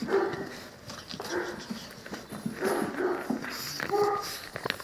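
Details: Nine-week-old Cane Corso puppies from Axa and the champion Aquilla Dorata Belami, giving short tonal whimpers and squeals in uneven bursts, with soft rustling and some background noise between calls.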